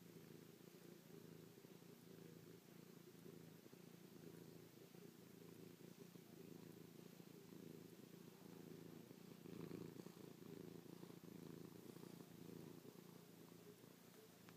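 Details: Pet cat Chloe purring at close range while kissing, pawing and licking her owner after a night sleeping on the owner's back; unbroken low vibrating purr, briefly swelling louder near the tenth second, quiet room.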